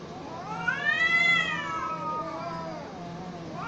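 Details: Cats fighting: a long wailing caterwaul that rises to a high arch around one second, then sags into lower drawn-out moaning tones, with overlapping voices suggesting two cats yowling against each other.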